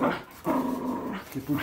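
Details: Patterdale Terrier playing tug of war in a training session, giving a steady low rumbling growl that holds for about a second, dips briefly, then resumes, in a small indoor room.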